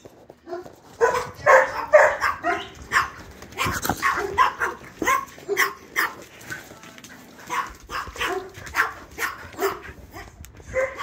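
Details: Chihuahua, a female dog. Rapid series of short yappy barks, roughly two per second, some with whiny tonal edges, continuing steadily through the clip with little background sound.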